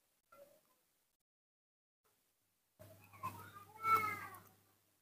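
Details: Morning cry of a young male monkey kept at home, calling for his milk: a rising, tonal, harmonic wail that swells then fades, with soft low hum underneath and little else nearby.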